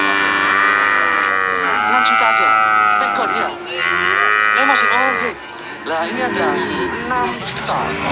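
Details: Brahman and Limousin calves lowing together, long overlapping drawn-out moos with rich harmonics, some bending up and down, several calves calling at once almost without pause, with faint background voices.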